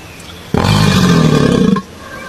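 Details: A crocodile letting out one loud, rough roar lasting just over a second, a deep rumbling growl with a buzzy, noisy upper edge.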